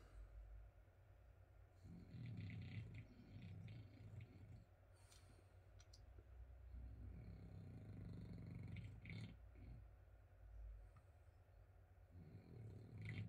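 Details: Sleeping French Bulldog snoring in a small room: deep, rattling rumbles in repeated long breaths of a few seconds each, separated by quieter pauses, with faint higher snorts.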